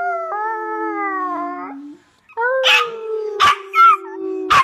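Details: A sustained howl from Hercules the Chihuahua drifts downward for about two seconds, fades, then resumes as a second long howl punctuated by several sharp yips.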